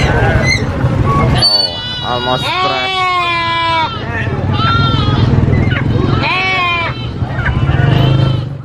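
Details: A baby goat screams in loud, drawn-out, quavering bleats, several in a row, some rising and falling. A steady low rumble and possible voices sit underneath.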